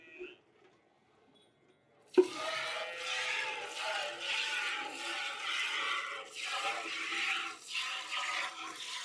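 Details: A near-silent opening gives way to a sudden splash, then continuous running, gurgling water with a steady mechanical tone, and no animal calls.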